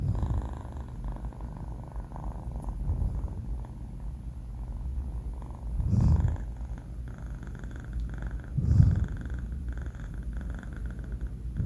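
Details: Sleeping kitten Banh Mi, a four-month-old male, gives a low continuous snore with slow breathing swells, two louder snorting breaths standing out near the middle and end.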